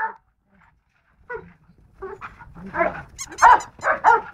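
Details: Golden Retriever giving one bark, then falling quiet before breaking into a run of rapid, overlapping barks that grow louder toward the end.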